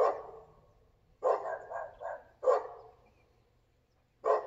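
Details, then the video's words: Barking dog in Volcano on July 7, 2022: one bark, then a quick triple burst, another single bark and a final bark after a long gap, in a quiet setting. "Barking dog"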